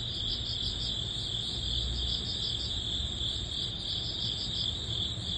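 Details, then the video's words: Early-autumn crickets form a steady high chorus, beads of chirps pulsing about three times a second above a constant piercing whine, with low ambient rumble in the background. "초가을 풀벌레_ 백색소음_ Cricket sound"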